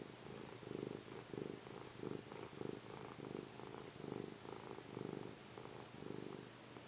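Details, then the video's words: Kitten asleep, giving gentle low snores as evenly spaced rumbling pulses, one roughly every half second, in a quiet room. "Cute kitty snoring"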